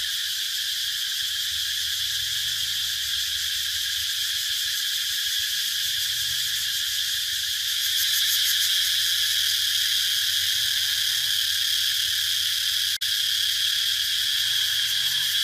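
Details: Continuous high, rasping cicada chorus with rapid pulsing texture that swells slightly louder midway, a brief click near the end, and a low background hum.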